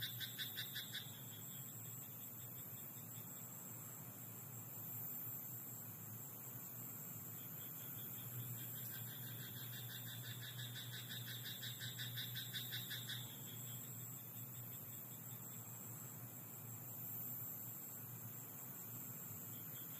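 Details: Night chorus from a rice paddy: a frog gives a short burst of quick pulsed croaks at the start, then a longer rattling series of rapid repeated notes lasting about five seconds, set against constant low hum and hiss.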